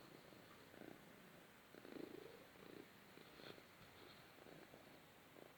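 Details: A Balinese cat purrs softly while cuddling in the sun, a low rumbling vibration swelling in gentle pulses with each breath.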